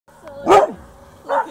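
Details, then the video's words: Dog barking at its own echo: one sharp loud bark, followed about 0.8 seconds later by a fainter returning bark. "Barking at echo"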